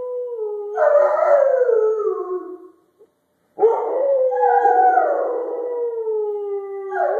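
Two drawn-out howls from Rottweilers, each rising then sagging in pitch with a rich, layered tone. A brief silence separates the first howl from the second, which wavers and swells near its end.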